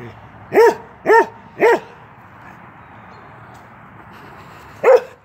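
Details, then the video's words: Keweenaw, a young male Norwegian Elkhound aged 10 months, plays through a fence and gives three quick, clear barks about half a second apart, then a pause of several seconds before one final bark. "Norwegian Elkhound playing."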